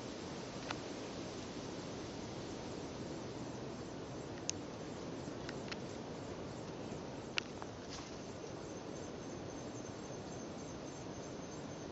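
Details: Steady outdoor hiss with a few sharp clicks and faint rustles, and no clear animal calls.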